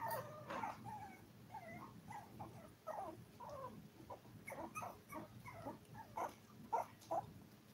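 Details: Five-week-old toy poodle puppies, seven in the litter, on a live stream: a steady run of short, high whimpers and yips, some rising and others falling, overlapping from several pups, with a low background hum.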